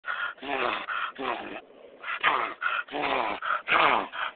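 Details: Excited pet dog making a weird noise: a run of rough, grunting whimpers and yips in bursts of about half a second, with short pauses between them.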